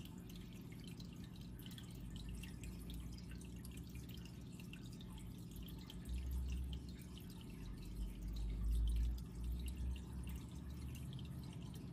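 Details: Water drips steadily over a low rumble of room noise, with no animal call standing out. A deeper thump swells briefly near the end.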